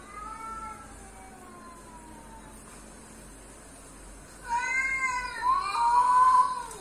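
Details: Pet cat reacting to odd cat noises: soft falling mews at first, then a loud, rising-and-falling drawn-out meow with rich harmonics over the last two seconds.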